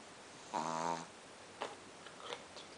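A Pekingese gives a single rough, buzzing snore lasting about half a second.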